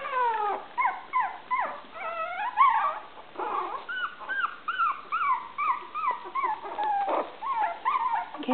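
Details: Litter of five 23-day-old Maltese puppies at play; continuous high-pitched squeaks and arched, falling whines repeated roughly twice a second, several pups overlapping, with a brief person's voice in the background.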